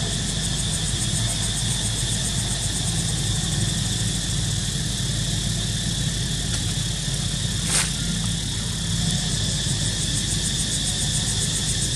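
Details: A steady, droning engine idles throughout, with a constant low rumble, a high tonal whine and one brief swish near the eighth second.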